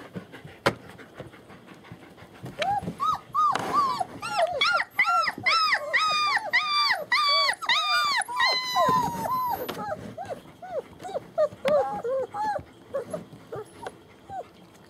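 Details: German Shepherd puppies, born 28 January 2015, at a small family kennel on 40 acres in Mayo, Florida: a chorus of high arched whines and yips, repeated rapidly and overlapping, fading to scattered whimpers near the end.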